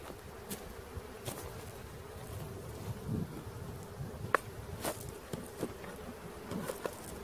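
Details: Honey bee swarm caught in Christiana, Tennessee: a thick low droning buzz continues throughout, broken by short clicks and taps from the work of gathering the bees.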